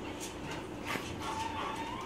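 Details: Saint Bernard named Lula, excited and happy about going out, gives a thin, high, drawn-out whine in the second half after a brief sharper note, while a woman talks to her in Spanish.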